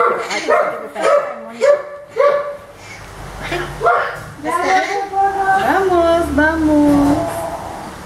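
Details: Orphaned baby howler monkey Milette protests during care at the veterinarian. A quick series of short, even-pitched whining cries comes first. It is followed by longer, wavering wails that mix with people talking nearby.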